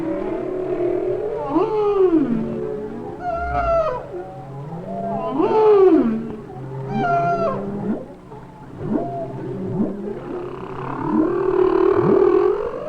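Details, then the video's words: Humpback whale song of eerie rising and falling moans and whoops with harmonic overtones, a series of tones forming complex themes; the songs are thought to be mating calls of male humpbacks. "The songs are thought to be the mating calls of the male humpbacks."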